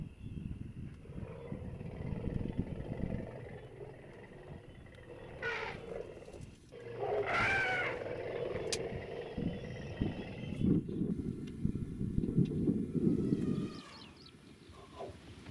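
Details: A family of African elephants coming out of a forest in early morning sunlight give deep, throbbing rumbles, broken by a couple of brief, brassy trumpet blasts.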